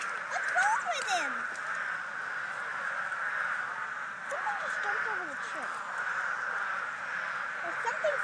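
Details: A steady, dense chorus of frogs at a vernal pool in a pasture forms an unbroken high trill throughout.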